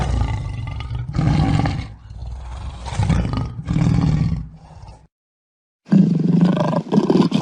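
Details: Lion roaring, a series of deep, grunting roars in pulsing bursts about once a second, fading out, a short silent gap, then another loud roar.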